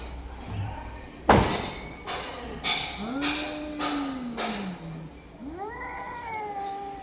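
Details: Domestic orange and white cat making funny sounds: a sharp thump, then a long drawn-out meow with a falling bend, followed by a shorter rising meow, over a quiet background hum.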